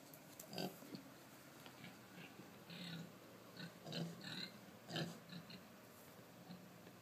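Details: Pregnant Kunekune pig relaxing through a jowl rub. Soft, low grunts and snuffles come about once a second, irregular and gentle. Light rustling and hiss sit underneath.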